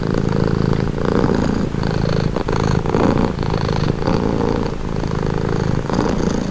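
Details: Domestic cat purring steadily, a low rumbling purr that swells and eases in alternating breaths, roughly one cycle per second, close and continuous with no other sounds.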